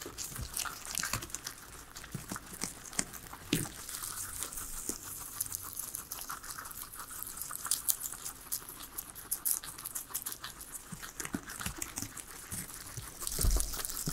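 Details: Indoor feeding of three guinea pigs on vegetables gives continuous crinkly crunching and tearing, with occasional louder bites toward the end and no talking or music.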